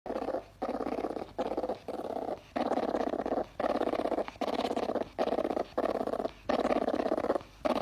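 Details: Sable, Martes zibellina: a rough, buzzing growl in short bursts of about half a second, repeated roughly ten times with brief silent gaps, the harsh tone held steady through each burst.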